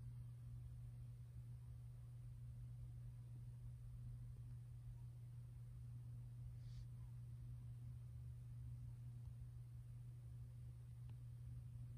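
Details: Quiet room with a constant low electrical hum and faint hiss, broken only by one brief soft rustle; no animal sound.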